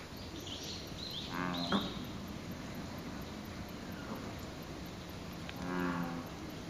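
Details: Wild American bullfrog calling from a lotus pond below Izumi Bridge in Izumi Nature Park, Wakaba Ward, heard from the bridge: two low, droning, bellowing calls, one early and one near the end, over a steady outdoor hiss.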